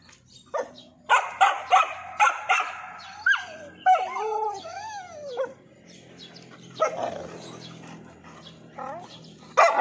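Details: Dog frustrated by a lizard it cannot catch. A rapid string of high barks turns into a wavering, rising-and-falling whine, followed by softer yips and a final bark.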